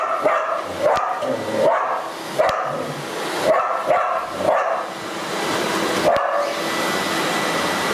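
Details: Border Collie named Kailie barking at a vacuum cleaner, torn between approaching and avoiding it; sharp barks repeat roughly every second over a steady loud motor hum that fills the whole recording.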